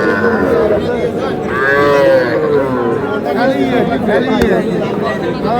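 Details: Small bull and heifer calves at a Dhaka cattle market call with wavering moos, one swelling call around the middle and shorter ones after, amid loud voices and market chatter.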